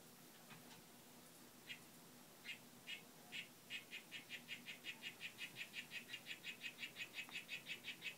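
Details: Harlequin poison frog, Oophaga histrionica whitefoot form, one of a captive group courting and displaying; a rapid train of short buzzy pulses starts sparse, then quickens to an even run of about three per second and grows louder toward the end.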